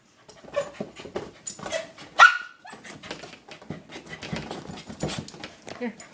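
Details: A Corgi attacking his new toy ball lets out one sharp, high bark amid busy scuffling and rattling noises.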